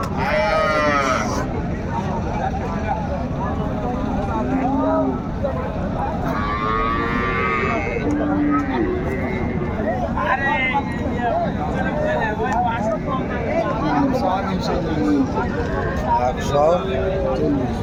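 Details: Cattle at Raniganj market in Dinajpur on March 6, 2025, where cows with calves are sold. Low, drawn-out moos sound now and then beneath constant crowd chatter, bargaining voices and passing traffic.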